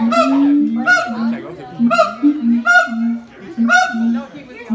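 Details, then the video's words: Two siamang parents in harmonic duet while their young one clings silently to its mother. Deep resonant booms alternate with loud, sharp, high barks, roughly one per second. "フクロテナガザルの鳴き声 siamang harmony ハーモニー"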